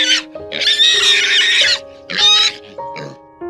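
A pig gives four rough, high-pitched squealing bursts, the longest about a second, over steady background music.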